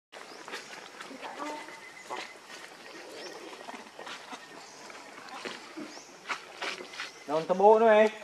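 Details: Monkey Rainbow, very angry while protecting Lucie from Kachoy: after scattered clicks, rustling and background voices, a loud wavering, warbling cry bursts out for about a second near the end, over steady insect hum.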